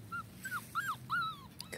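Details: Dachshund puppy whimpering on its first walk on grass: four short, high whines, each rising slightly then sliding down, spaced evenly over under two seconds, over a soft low background hum.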